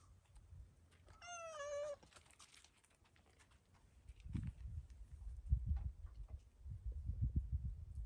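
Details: Black-and-white stray cat, startled after being briefly petted, meows toward the camera: a single wavering, slightly falling meow under a second long, then soft low thumps and handling noises indoors.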